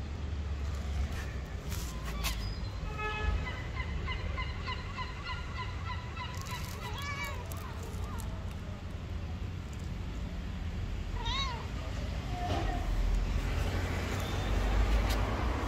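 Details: Two hungry street cats meowing loudly to ask for food: drawn-out, wavering, tonal meows near the start, another pair around seven seconds and a short one near eleven seconds, over a steady low urban rumble.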